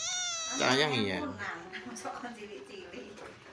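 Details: Tejo the pet cat lets out a loud, richly harmonic meow at the start that rises, then falls away. Quieter indoor sounds and soft voices follow.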